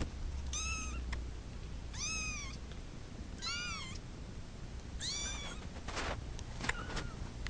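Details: A domestic cat that wants to go to its mama meows four times at steady intervals of about one and a half seconds, each call high, clear and arching, with a few sharp clicks and rustles afterward over a low room hum.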